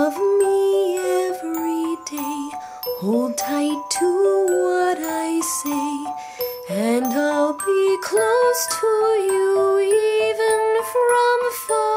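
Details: Bright melodic music with chimes and a sung or played tune, no animal sounds.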